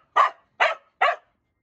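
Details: A Corgi barking while playing at home: three short, sharp barks spaced about 0.4 seconds apart, then silence.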